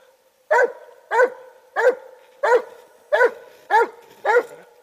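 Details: Clover, a Treeing Walker Coonhound, delivering seven loud, evenly spaced barks, each a brief harmonic burst dropping in pitch at the end, about one every second.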